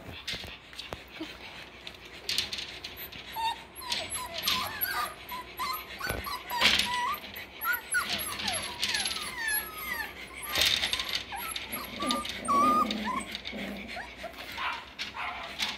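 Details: Six-week-old Parson Russell Terrier and Russell Terrier puppies at play, a litter of boys and girls, giving high whimpers and thin yips in rapid, overlapping bursts, with background music throughout.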